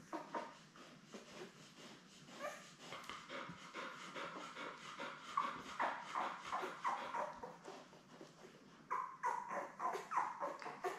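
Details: Newborn Labrador Retriever puppies, a litter of seven born May 24, 2021, with their mother Belle on a live puppy cam: dense overlapping high squeaks and whimpers, rapid and continuous, with rustling and shuffling throughout.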